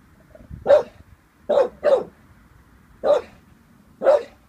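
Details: Uneasy about a balloon, an 18-month-old Staffordshire Bull Terrier lets out five short, sharp barks in uneven bursts, two close together in the middle, over a quiet room.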